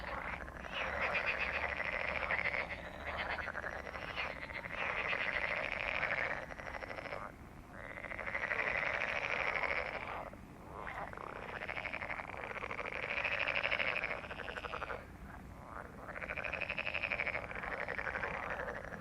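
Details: Frogs calling in a loud chorus of rapid, grating croak pulses, grouped into waves lasting about two seconds with brief lulls between them.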